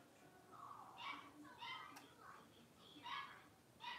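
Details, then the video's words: Blenheim Cavalier King Charles Spaniel puppies, a litter of five born at New Year, playing in a home puppy pen. Short high yaps and whiny yelps come in bursts about every half second to second, with a rising, squeaky quality. "Cavalier Puppies Livestream: Playing, Barking, and Learning"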